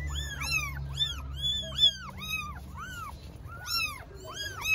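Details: Several hungry newborn kittens, strays in Istanbul, Turkey, meow loudly for their mother cat: overlapping high arched mews, each rising then falling, tumbling out nearly continuously in a dense chorus over a low rumbling background.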